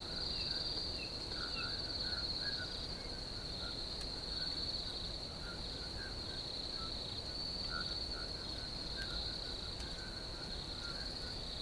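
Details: Crickets in nature give a steady, unbroken high-pitched trill throughout, with soft, lower chirping notes scattered beneath it and a faint background hiss.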